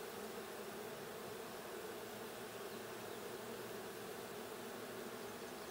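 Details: Steady hum of many honey bees inside the blue hive during a June 20, 2022 hive check: a uniform, low, droning buzz that holds without a pause.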